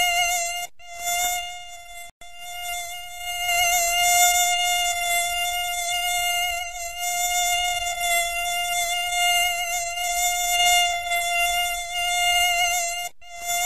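A mosquito hums a continuous, nasal whine from its beating wings, held at a nearly constant pitch throughout. The tone is rich and buzzy, with a couple of brief dropouts where it cuts away.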